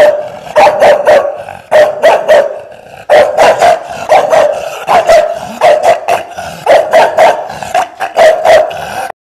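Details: Chongqing dog, an indigenous breed from East Sichuan, China, barking loudly and continuously in rapid bursts of three or four sharp barks, with barely any pause between volleys.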